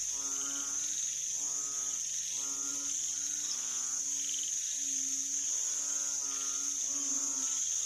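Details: Banded bullfrogs calling on 18 September 2023: a run of low, nasal, droning notes with strong harmonics, about one every half second, some overlapping, over a steady high insect whine.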